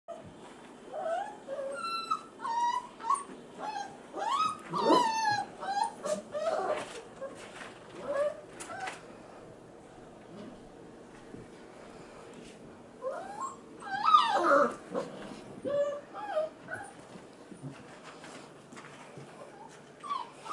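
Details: Male F1b Goldendoodle puppies, five and a half weeks old, crying in the background indoors while female littermates play with children; high whining cries and yelps come in scattered bursts amid thumps and faint voices.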